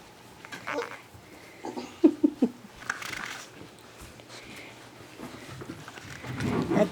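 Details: Yellow Labrador Retriever puppies, six weeks old, tussle indoors while littermates scratch at a pup's new collar; a brief cluster of sharp yips and squeaks rises between rustling, scuffling and a person's voice.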